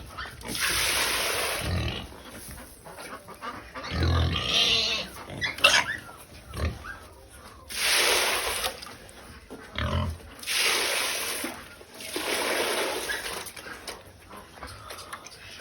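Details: Pigs at feeding time squeal loudly as food is given: harsh, noisy bursts about one to two seconds long, separated by short quieter gaps with softer grunting and shuffling sounds.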